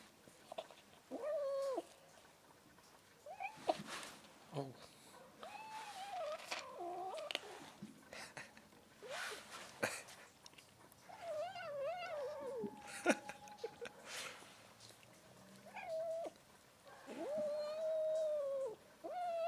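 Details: White female cat, angry when touched, giving drawn-out complaining meows at mid pitch, several bent or wavering, in separate bursts of about a second with short gaps, plus scattered clicks and handling noises indoors.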